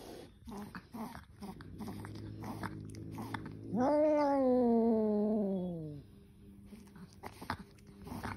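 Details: Indoors, an angry kitten lets out a drawn-out, wavering, slowly falling wail of about two seconds, preceded and followed by clicks, scuffling and handling noises.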